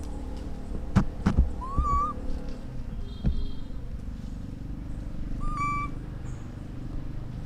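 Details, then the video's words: Orphan baby monkey calling to its mother: two short, clear whistled coos that rise and then level off, about four seconds apart, with a few sharp taps and a steady low rumble behind. "The sound of a baby monkey calling to his mother"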